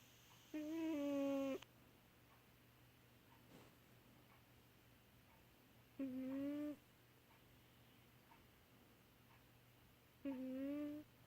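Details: Baby Girl, a pet kitty in deep sleep, snoring: three tonal, slightly bending moaning breaths, each about a second long, spaced roughly every four to five seconds over a steady low indoor hum.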